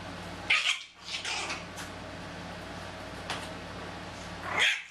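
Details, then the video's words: Chihuahua puppies at play in a carport, two litters of ten and thirteen-and-a-half-week-olds; two sharp squealing yelps at start and end with softer scuffling noises between, over a low steady hum. "Chihuahua puppies; Bella & Nanett's litter playing"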